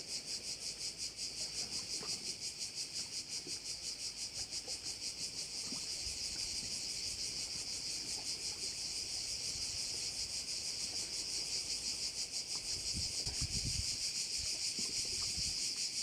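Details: Crickets at a Korčula bay: a shrill, rapidly pulsing buzz that throbs rhythmically at first, then merges into a steadier, slightly louder drone, with a few low thumps near the end.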